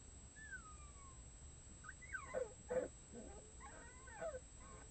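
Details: Six red wolf pups, nearly one month old, join the adults' howling early on a weekend morning with thin, wavering howls that break into squeaky yelps and whimpers.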